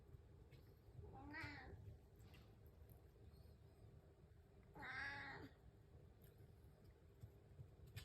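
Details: House cat waiting for breakfast in the morning, giving two drawn-out, harmonic meows about three and a half seconds apart, each rising then falling, over a low steady indoor hum.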